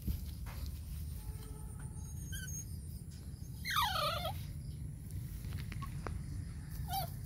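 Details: Chihuahua giving a single brief high whine that slides downward in pitch, with harmonics, heard over a steady low rumbling background with scattered faint clicks.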